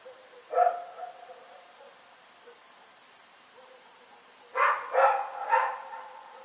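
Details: Rex, a dog, barking at night, February 27, 2018: one lone bark, a pause of several seconds, then a run of three rapid, strained barks.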